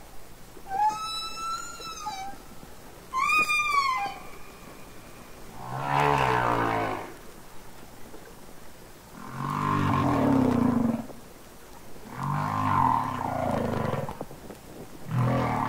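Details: Underwater song of real humpback whales from Capitol Records ST-620: two high harmonic-rich cries with falling ends, followed by deep groaning moans recurring every three seconds or so.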